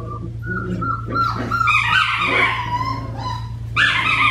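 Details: Australian Shepherd puppy, a four-week-old black tri female, making high, wavering whimpers and short yelps with rising and falling harmonic tones, loudest near the end, over a steady low electrical hum.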